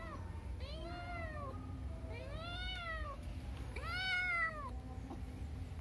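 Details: Domestic cats, among them ones named Cipung and Molen; three loud, harmonic meows arch up then fall, each about a second long, spaced roughly every 1.5 seconds, over a low steady background hum.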